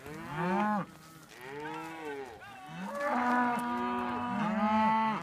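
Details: Highland cattle with Whitebred Shorthorn calves being moved to new pasture on a farm, lowing in long drawn moos, two calls in the first two seconds, then a sustained rising-and-falling moo overlapping with others.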